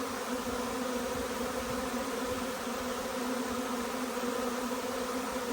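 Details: Honey bee swarm settling into nucleus hives amid hot, humid conditions and blooming chestnut; a loud, sustained drone of countless wings, smooth and unvarying across the clip.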